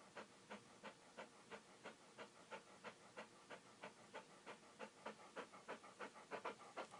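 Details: Rapid rhythmic panting from a dog, roughly three soft breathy pulses a second, regular and unbroken, airy and hissing between puffs, growing slightly stronger toward the end.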